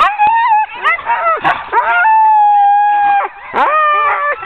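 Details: Sled dogs being hitched into a ten-dog team for an October 2010 training run: a steady, long whining howl held for over a second, framed by quick rising yelps and short barks from other dogs.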